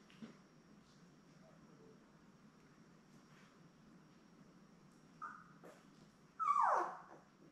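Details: Newborn Labrador Retriever puppies, seven of them born May 24, 2021, lying with their mother Belle on a live puppy cam; a short squeak, then a loud falling whimper near the end over a faint steady hum.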